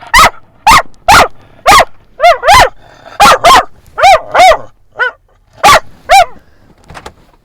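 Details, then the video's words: Friendly dog at a San Diego dog park at sunset, barking at other dogs it knows: a fast run of about fourteen sharp, tonal barks, often in pairs, filling the whole stretch with short gaps between them. "Barking at Every Dog!"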